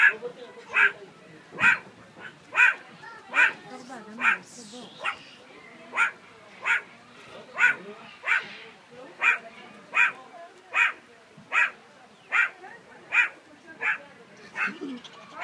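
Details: Meerkat (Suricata suricatta), call.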